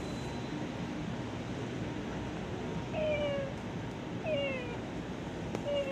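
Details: A cat in an office gives three short meows that slide downward, spaced about a second and a half apart. They sound over a steady background hum.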